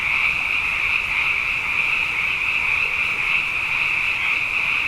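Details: Many frogs calling together at night after two wet years in a row, forming a dense, unbroken chorus: a steady high trilling band with a softer lower layer beneath, no pauses, no other sounds standing out.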